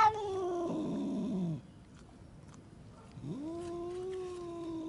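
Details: Angry cat giving a low, gravelly growling moan that slides downward, then after a pause a rising, sustained yowl held at an even pitch over background noise.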